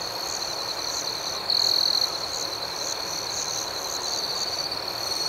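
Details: Crickets chirping at night in a steady, high shimmering chorus, with softer pulsed chirps above and one louder, brighter trill standing out for about half a second.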